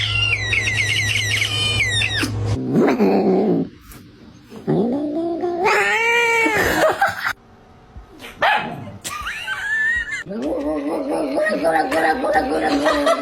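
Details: Domestic cats in a quick series of meows and chirps. Drawn-out, wavering meows and yowls are broken by abrupt cuts, with a steady low hum under some passages.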